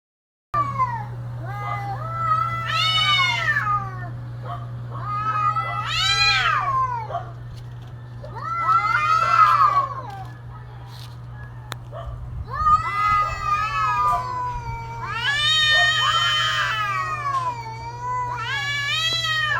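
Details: Cats caterwauling in mating season: long drawn, wavering yowls that rise and fall in pitch, several rich harmonic cries separated by short pauses, with a steady low hum underneath.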